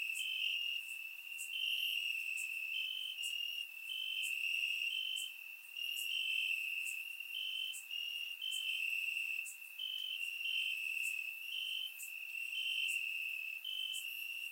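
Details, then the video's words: Crickets chirping in grass on a warm summer night in Bulgaria, captured with a surround microphone: a steady high trill with a slightly pulsing band, brighter chirps overlapping every second or so, continuous chorus without other sounds. "Cricket Sounds - Crickets Chirping at Night"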